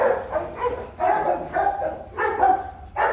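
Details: Rottweilers at the Gervi kennel: Bruno, a young champion of Latvia, meets his 7-month-old son Igor. Four full, harmonic barks sound about once a second, with short quiet gaps between them.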